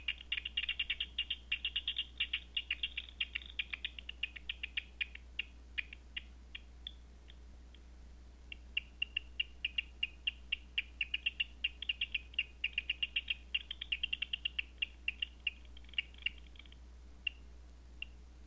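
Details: Bats detected after dark with a Batseeker 4: a dense rattle of quick clicks for the first five seconds, then scattered single ticks, then another thick burst of clicking mid-clip, all over a faint low hum.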